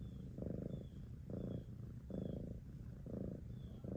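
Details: Rhythmic cat purr: low vibrating rumble pulsing in five inhale-exhale swells about every 0.8 seconds, with a faint high chirp recurring in the background.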